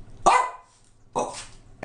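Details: A male pet dog barks twice, about a second apart. Each bark is a sharp, loud burst with a brief fading tail, and there is quiet between the two.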